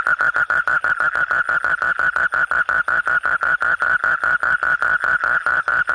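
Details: Nighttime frog giving an even, rapid series of clipped, mid-pitched croaks, roughly five a second, evenly spaced and unbroken from start to finish.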